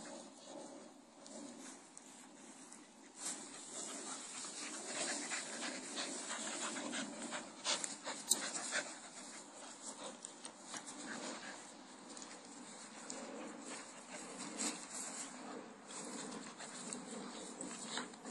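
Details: A 10-month-old blue Staffordshire Bull Terrier playing with a 7-year-old child pants rapidly and breathily, with snuffles and soft scuffing sounds.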